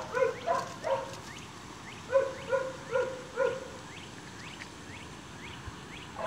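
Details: Staghound puppies, nearly seven weeks of age, romping with chase instinct turned on; sharp, high yaps come in uneven bursts, several close together, then sparser.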